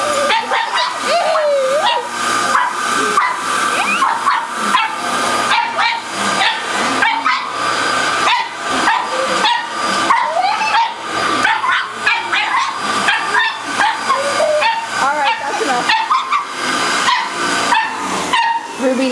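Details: Ruby, a female pug, barks at her nemesis the vacuum cleaner: a rapid, nearly unbroken volley of sharp barks, roughly three per second, continuing for the whole stretch over a steady background hum.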